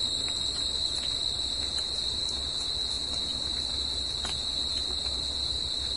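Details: Crickets singing in nature at night: a steady, unbroken high-pitched trill holding one level throughout, with a fainter higher overtone, soft scattered clicks and a low background rumble.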